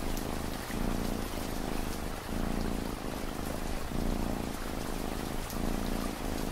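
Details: Cat purring in a deep, buzzing rumble that rises and falls with its breathing, around three dozen cycles a minute, mixed with soft, ongoing rain on a surface.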